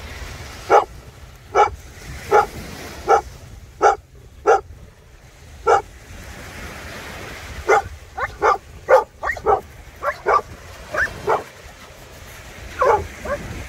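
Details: Maremmano-Abruzzese Sheepdog at play with a Golden Retriever by the Black Sea. Sharp single barks are spaced about a second apart, then come faster and more clustered in the second half, with a low steady rumble beneath.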